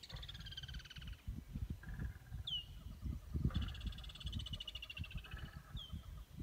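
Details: Lions growling during a stand-off: a run of low pulsing grunts and rumbles throughout, while insects buzz in rattling bursts and a bird whistles briefly.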